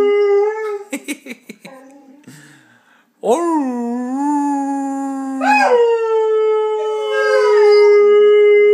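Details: Steve, a pet Saluki, vocalizing indoors: a held tone, a burst of short sharp yelps, then a long steady howl that lifts to a higher sustained note and carries on strongly to the end.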